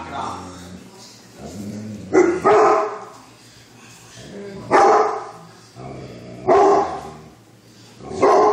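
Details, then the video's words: Great Pyrenees named Lacey barking alongside Newfoundlands, deep loud barks in irregular bursts, some doubled, with quieter low sounds between. "Great pyrenees barking"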